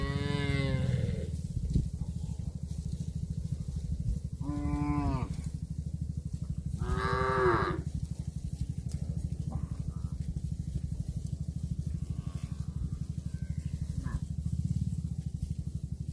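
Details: Cattle eating grass, with three loud moos in the first eight seconds, each rising then falling with strong overtones, then quieter faint calls, all over a continuous low, fast-pulsing hum.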